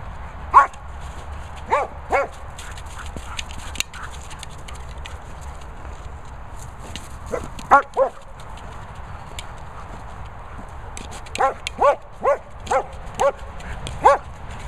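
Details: German Shepherd playing with a boomer ball, giving short sharp barks singly and in pairs, then a quick run of five or six near the end, with quiet gaps between bouts.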